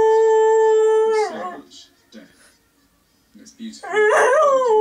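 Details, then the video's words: A pet Border Collie howls along to The Last Post played on television, a long steady tone with clear harmonics that breaks and falls, a pause with faint speech, then a wavering howl resuming. "Border Collie Evie sings along to The Last Post!"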